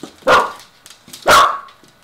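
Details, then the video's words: Vocal five-to-six-year-old mini dachshund demanding breakfast, another mini doxie waiting nearby; two loud, sharp barks about a second apart, with quiet room sounds between. "Wiener dog really wants breakfast"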